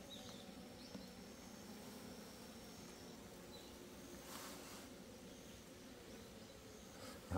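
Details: Asian honey bee colony in a hive box being opened and inspected on 26 September 2023; a continuous low droning buzz fills the recording, with faint scraping and brief rustles of handling.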